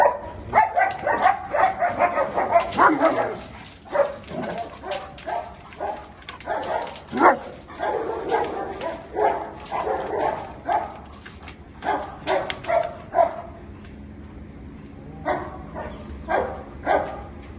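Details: Angry German Shepherd in India barking in dense, overlapping bursts that thin into scattered single barks later, with a steady low background hum throughout.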